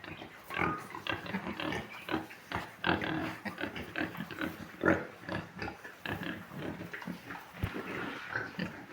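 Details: Large White pigs on a farm giving dense, irregular bursts of rough grunts and snorts, several overlapping, with short gaps between loud pulses throughout.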